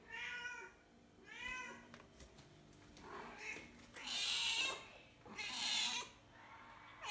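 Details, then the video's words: A mother cat calls for her outdoor-born kittens with two short, bright, downward-curving meows, then a pause with soft clicks and thumps, followed by two longer, louder, strained meows. "Mommy cat calling for her kittens"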